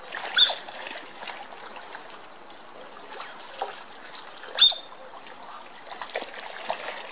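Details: Smooth-coated otters rough-housing in their pond at Colchester Zoo: two sharp, high squeaks, one near the start and one past the middle, over steady trickling and splashing water.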